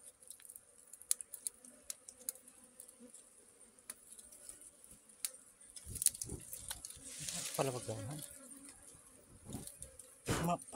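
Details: Honeybee humming in a steady low drone, with scattered clicks and rustles, and louder handling noise and a human voice breaking in during the second half.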